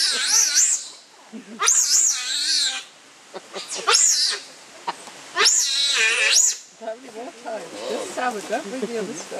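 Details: Captive giant otter family of six, with two cubs born at Chestnut Centre, Chapel-en-le-Frith, recorded 25 June 2011 at feeding time with salmon heads: loud, wavering, high screeching bursts about a second long, repeated with short gaps, beside human voices.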